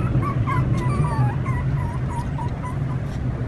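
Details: A puppy kept in a box on a rooftop gives a string of thin, wavering whimpers, short high cries bending up and down several times a second, said to signal stomach pain; a low background rumble underneath.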